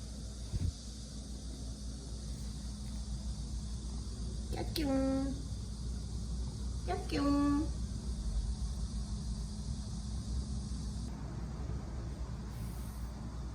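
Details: A pet cat, someone's first cat, gives two drawn-out harmonic meows about two seconds apart, each rising briefly then holding steady, over a constant low indoor hum.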